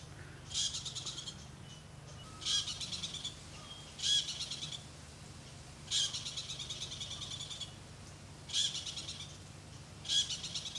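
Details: Very loud squirrel alarm in the Okavango Delta, Africa: harsh, high, buzzy chattering bursts, each about half a second long, repeated roughly every one and a half to two seconds over a steady low hum.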